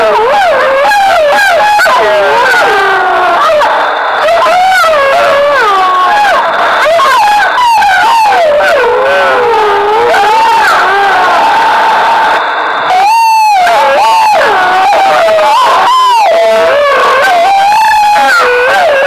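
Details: Wild wolves answering a howling stimulus during a 2013 census in Foreste Casentinesi National Park, Italy, used to triangulate pack position and numbers; long chorus of wavering, overlapping howls with yips, a brief pause near the middle before voices resume.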